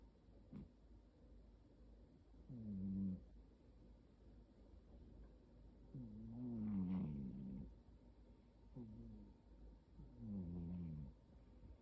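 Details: A sleeping cat snores in low, buzzy, rasping breaths. They come roughly every two to four seconds, and some bend slightly in pitch. The room is otherwise quiet.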